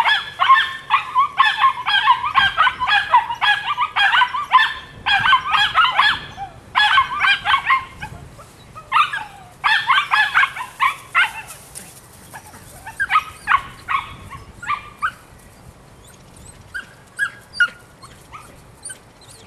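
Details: Nine-week-old female puppy, Rodin/Katana, giving rapid, high-pitched yappy barks in dense bursts of several per second, with short pauses near seconds 2.5 and 8, then sparser, softer yips toward the end.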